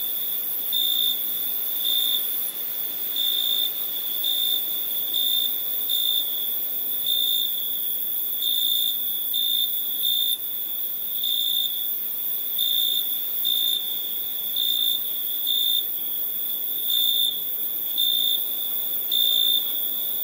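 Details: Nighttime crickets keep up a continuous high-pitched trill, pulsing steadily in regular bursts roughly every second, over a soft hiss and no other sounds.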